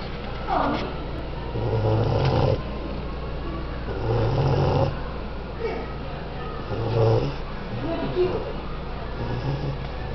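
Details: A sleeping male English Bulldog gives deep, rattling snores that rise and fade with each breath, roughly every two to three seconds. Between snores there is a faint, steady background hum.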